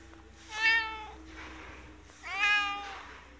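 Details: Two long, rich meows about two seconds apart from Inskitty, resident cat at a ski shop in Hirafu Village, Hokkaido, Japan; each call swells and sags gently in pitch over a steady low hum.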